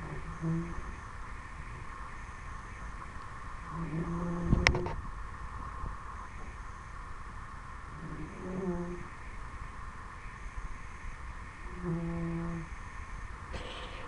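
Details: A 10-week-old Dobermann puppy snoring while asleep: low, hummed breaths with faint overtones recur about every four seconds, with a sharp click near the middle and a steady background hum.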